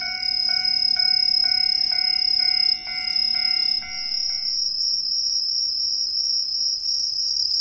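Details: Green tree crickets, an introduced species, singing unseen in street trees of a residential area in Ehime, Japan: a steady high shrill trill, pulsing rapidly, with bell-like chiming music tones repeating every half second during the first half.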